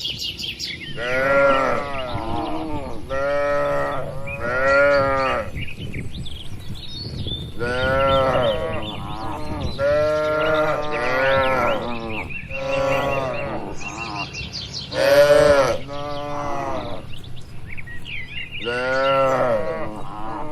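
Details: Tame cattle grazing together across a green oil palm plantation in Indonesia keep up an almost continuous chorus of harmonic moos, many overlapping, some loud and long, with birds chirping faintly underneath.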